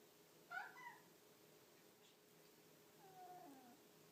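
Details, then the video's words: A Devon Rex cat carrying toys around and seeking attention gives two short meows, the first quick and warbling, the second drawn out and falling. "Devon Rex cat makes funny sounds"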